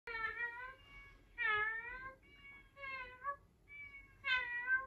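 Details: Cat meowing indoors: five clear, tonal meows in quick succession, each a slightly wavering, drawn-out cry. Short pauses separate them, and the fifth is the highest and most strained.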